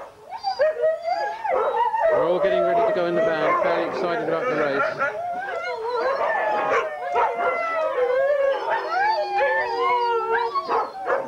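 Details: Huskies at a sled dog race weekend in the Forest of Dean, England, November 2001, from old VHS footage: many dogs howl and yip together in overlapping wavering cries, with a human voice mixed in.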